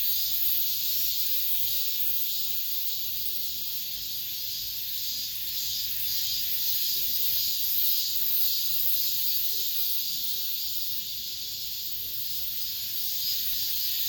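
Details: The last cicada song of this summer inside an apartment complex: an unbroken shrill buzz, high and hissing, swelling and easing gently with a soft, rapid throb over fourteen seconds.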